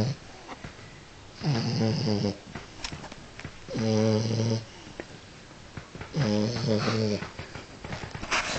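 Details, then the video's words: French Bulldog in a wig asleep after a restless night, giving three long rattling snores roughly every two and a half seconds, with soft breathing between them in a quiet room. "French Bulldog with a wig is snoring"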